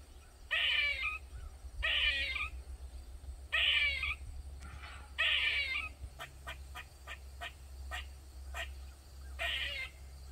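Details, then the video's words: Backyard squirrel in Maryland that kept up loud calls for more than 45 minutes: rasping, drawn-out moans about half a second long, spaced roughly every second or two, then a quick run of short clicking chucks, over a low background hum. "Squirrel Made Loud Sounds For Over 45 mins"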